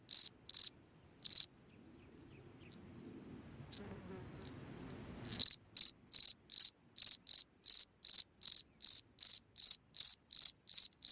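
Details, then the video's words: Cricket singing at night from a hole in the ground: bright high chirps, a few at first, then a quiet pause with faint low rustling, followed by a steady run of evenly spaced pulsed chirps about three per second. "Watch and Listen a singing Cricket (Chirping sounds, Hole in the ground, Night Ambient Sounds)"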